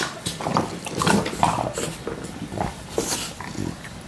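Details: Two English Bulldogs, roughly two years old, recorded 27 April 2017; short throaty grunts and piggy snorts, several voiced squeaky bits near one and a half and three seconds, heavy breathing between.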